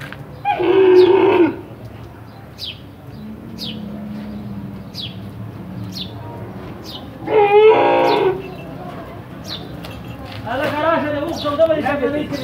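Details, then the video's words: A big camel with its little baby, giving loud, harmonic, moaning calls in three bursts of about a second each, spaced several seconds apart, with human voices talking nearby between the calls. "Camel voice"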